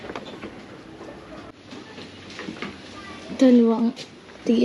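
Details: Kept pet goats in the Philippines: after a stretch of murmured talk, a short harmonic bleat rises then settles, followed by a second bleat starting just at the end.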